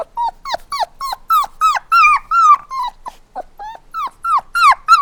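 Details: Puppies crying with rapid, closely spaced high whimpers, roughly three per second, each a short tonal note that bends up then falls, some longer drawn-out whines mixed in, loud and clear indoors.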